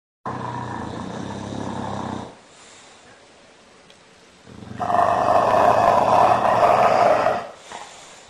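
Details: Bulldog snoring: two long, rough, fluttering breaths, each about two seconds, the second louder and harsher, with a brief quieter gap between them.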